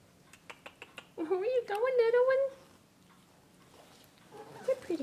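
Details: Imperial Shih Tzu puppy indoors, giving a drawn-out whining cry of about a second and a half with a wavering tone, then a shorter whimper near the end; soft tapping before it and a woman's voice talking to the puppies.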